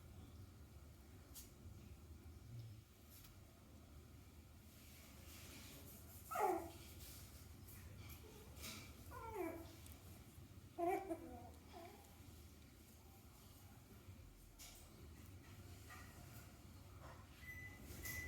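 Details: Clover, a six-week-old male Yorkshire Terrier puppy, indoors with a little stuffed toy, gives three short high whimpering yelps that slide downward in pitch, a few seconds apart, over quiet room hum.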